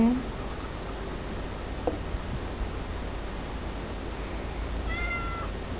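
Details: Tiger, a tabby cat living in friendship with Jingy, a White Swiss Shepherd Dog, gives one short, steady meow with clear overtones near the end, after a quiet stretch with a soft knock and a woman's voice at the start.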